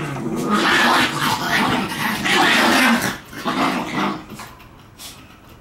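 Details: Shiba Inu puppies playing and only pretending to fight, harsh rasping growls and snarls in loud rough bursts, fading to quieter scuffling, indoors.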